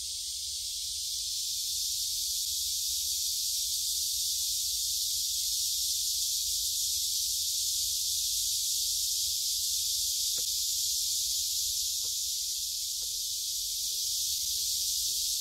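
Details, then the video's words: Cicadas singing together along a forest path in Gyerim, Gyeongju, South Korea, phone-recorded on 16 July 2022; an even, piercing buzz fills the whole stretch, broken only by a few sharp clicks late on. "매미들이 노래하는 '경주 계림'"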